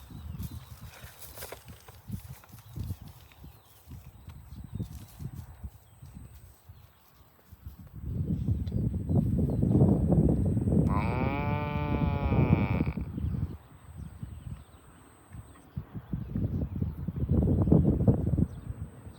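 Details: Farm cows driven toward the barn; after a stretch of shuffling hoofbeats, one bovine gives a single tonal, wavering call of nearly two seconds. Heavy trampling continues before and after it.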